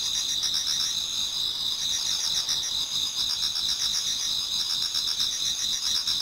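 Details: Chorus of many insects in a Japanese garden on an autumn night nearing dawn; high, sustained ringing tones mixed with fast repeated chirps, steady in loudness throughout.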